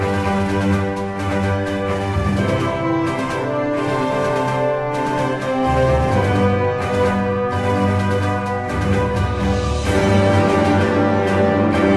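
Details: Dramatic theme-style music with sustained synth chords and a steady beat plays throughout, and no animal sound can be picked out.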